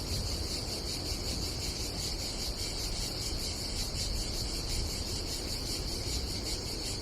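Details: Cicadas on a summer day at a campsite above the Adriatic Sea in Croatia: a steady, shrill buzzing drone with fast rhythmic pulsing throughout, over a low rumble of wind and sea.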